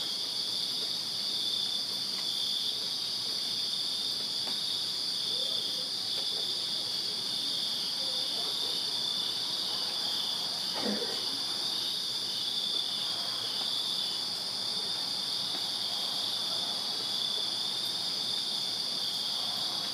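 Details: Crickets in a Virginia backyard on a summer night produce an even, high, ringing chorus without breaks; a brief soft swish and a few faint lower sounds pass beneath the steady insect drone.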